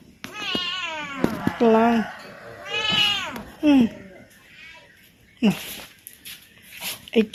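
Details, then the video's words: Talkative male house cat at home, wanting his owner to play with him: drawn-out wavering meows, then short yowls, with a woman speaking Khmer between calls and brief handling noises. "Talkative cat wants his owner to play with him."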